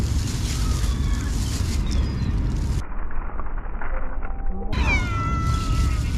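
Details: Cat being fed by a person, giving a loud drawn-out meow with a sliding, slightly falling tone after a brief earlier mew. Steady low rumbling wind or engine noise runs underneath throughout.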